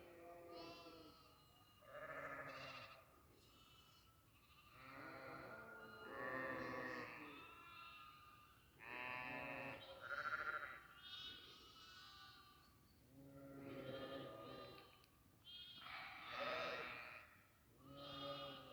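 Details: Several goats on a goat farm bleating one after another, overlapping nasal, quavering calls of varied pitch repeated every second or two almost without pause.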